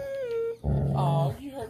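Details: Dog growling during rough playtime with other dogs: a thin whine first, then a deep, rumbling growl of about half a second, with a person's voice calling out around it.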